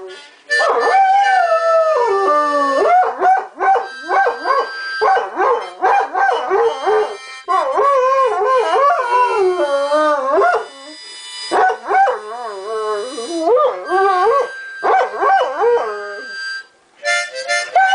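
A Great Dane howls in long, wavering, rising and falling notes over a harmonica tune.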